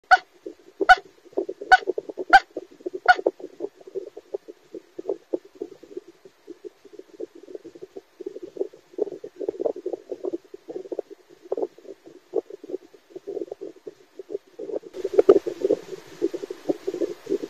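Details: A 4-month-old female Maltese puppy napping in her crate in New York City, probably dreaming, gives soft, muffled woofs and whimpers in a long, uneven run while asleep.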